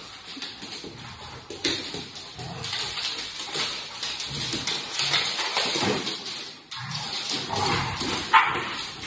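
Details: English Setter and Pit Bull playing together while a French Bulldog looks on; rough, noisy scuffling with short growly bursts and snorts, rising and falling in loudness throughout, with broadband rustling behind.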